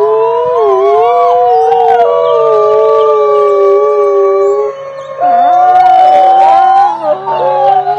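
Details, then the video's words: A group of wolves howling together: several long, smooth, overlapping howls at different pitches hold steady, briefly break off near the middle, then resume with wavering, rising and falling voices over a faint low hum. "Wolves howling together"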